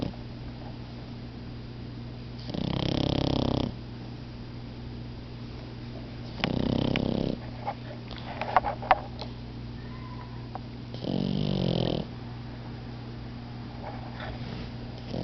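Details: Momo and Lela, two puppies taking a nap, snoring in three harsh, wheezy bursts roughly every four seconds, with soft clicks and small rustles between snores and a steady background hum.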